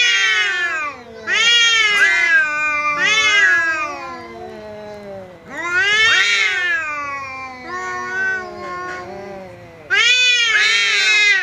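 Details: Home cat facing off against a visiting cat with loud harsh yowls: clustered arching wails early on, a quieter drawn-out moaning stretch, then an abrupt loud howl bursting in near the end.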